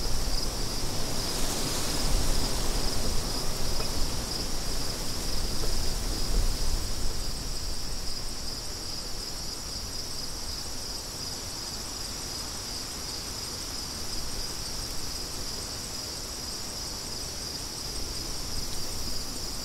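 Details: Crickets outdoors with wind: a steady high, shimmering insect trill holds on without a break while strong, rushing wind gusts roar underneath, loudest in the first seven seconds.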